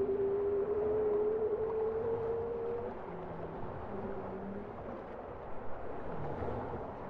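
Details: A long, clear moan from a bowhead whale that glides slowly upward over about three seconds, followed by softer, shorter low hums over steady underwater noise.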